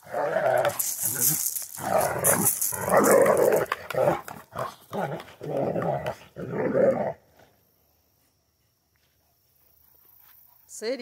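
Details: Central Asian Shepherd dog in Michigan, giving rough, broadband growling bursts in quick irregular succession for about seven seconds, then falling almost silent, with a faint human voice at the very end.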